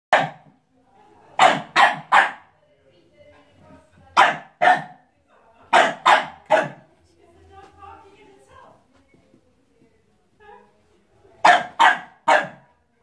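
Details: A Staffordshire Bull Terrier puppy barks at its own reflection in sharp, bright bursts of two or three.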